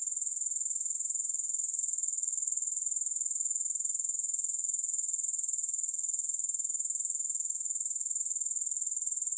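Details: Grasshoppers calling with no music: one constant, sharp, high-pitched buzzing trill with a regular pulse of about four beats per second, steady in loudness from start to finish, nothing else audible.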